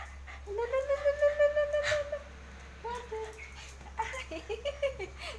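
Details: Pet Siberian Husky whimpering in a jealous reaction as its owner gives attention to a Shiba Inu: one long, steady whine, then a series of shorter broken whines, with faint music and a voice in the background.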